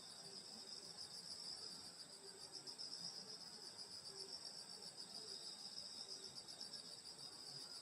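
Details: Nighttime summer insect song in the countryside at a grandmother's place: steady high buzzing trills from many callers, joined by scattered short low notes repeating irregularly in the background.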